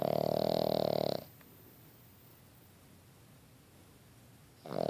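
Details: A Boston Terrier puppy snores in its sleep: a harsh, vibrating snore that breaks off after about a second, a long silent gap, then the start of another.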